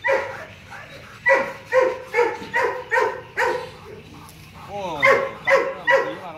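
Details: Loud, evenly spaced barks from Loki, a young adult male Rottweiler at Gervi Kennel, come about every half second, followed by a short wavering whine and a final run of barks.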